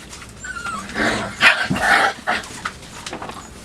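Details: Five-week-old Labrador Retriever puppies in their night kennel on 23 September 2015, exploring, chewing and claiming a cardboard box while playing; a short high whine, then scattered yips and squeaks over constant rustling and scratching.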